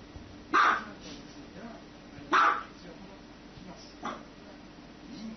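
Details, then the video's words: Two loud, abrupt dog barks about two seconds apart, followed by a softer third bark, over low background hum. "Dogs barking"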